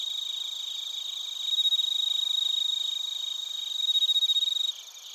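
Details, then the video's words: Chorus of bell crickets and crickets in Narita, Chiba Prefecture, Japan, recorded using a TASCAM Portacapture X8: a pure, high ringing tone runs over fast, regular pulsed chirping, rising in loudness twice before the ringing stops abruptly near the end. "スズムシとコオロギの鳴き声 - Chirping of crickets"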